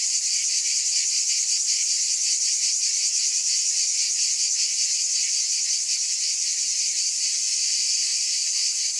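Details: Cicada chorus as a continuous sizzling drone, shrill and even, with slight rhythmic wavering in the upper tones and no breaks or other sounds.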